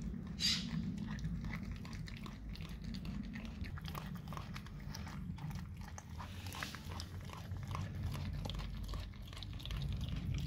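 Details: Raw cow tongue being eaten by a dog: crunching bites and wet mastication about three times a second, a sharp louder snap near the start and another around six seconds, over low background rumble.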